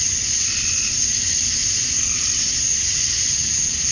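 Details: Brief stretch of a summer-night cicada chorus at dusk in Georgia, USA, males calling to females: an even, piercing buzz, with one short faint whistled note early on.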